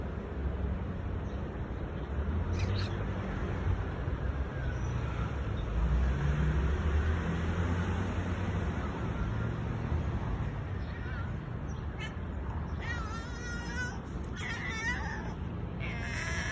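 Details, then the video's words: Stray tabby street cat meowing because it knows someone is coming to see it; after a long stretch of steady low traffic-like rumble, a few wavering, harmonic meows come in quick succession near the end over the continuing street noise. "Stray cat keeps meowing because he knows I’m coming to see him"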